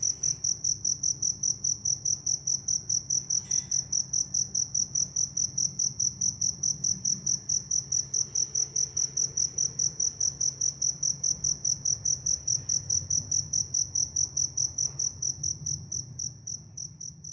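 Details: Evening in rural Vietnam, a single cricket calling on and on with rapid, evenly spaced high chirps, roughly four a second, briefly joined by a soft click, with a quiet low hum behind.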